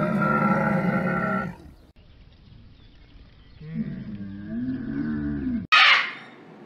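A dromedary gives a deep, harsh, buzzing groan, then after a pause a lower, wavering, gurgling moan; a sharp hissing burst ends it.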